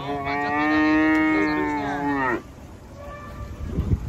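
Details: One long, steady, tonal moo from cattle coming down off a truck, held for more than two seconds with rich harmonics, then cut off, leaving quiet background rumble and faint knocks.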